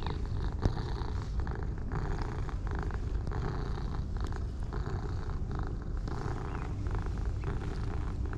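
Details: Purring from a duo of light and dark ginger tabby cats as they are petted, a dense, even low throb with rhythmic pulses, plus a sharp tap near the start and light rubbing noises.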